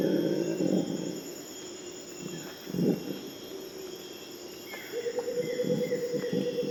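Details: Purus red howler monkeys heard in bursts: a short rough roar at the start and another around the third second, quieter stretches between, then a steady tonal whistle from another animal and renewed roaring near the end.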